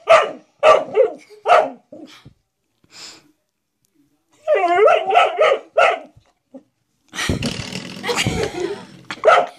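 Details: Male dog barking at a blue door stop it seems to see as a threat; bursts of sharp barks and a quick yipping run, with a person's voice and scuffling noise at the end.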